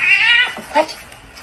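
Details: Domestic kitten indoors, crying meow: a long high wavering cry that slides downward, then a short second mew, with a person speaking nearby.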